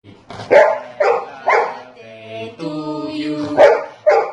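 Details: A Golden Retriever sings along to his birthday song with short, yelping woofs and a drawn-out, wavering howl.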